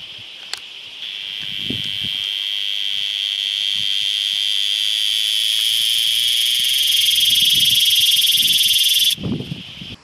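A cicada sings a continuous, shrill buzz, made by vibrating organs on its body, holding for about eight seconds. The drone grows a little louder toward the end, then stops suddenly, with faint background rustles around it.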